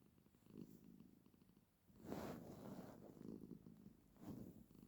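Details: Female pet cat that makes this sound whenever she sits with her owner: soft, low rumbling purr in breathy pulses roughly once a second, quiet and close, with faint room hiss between.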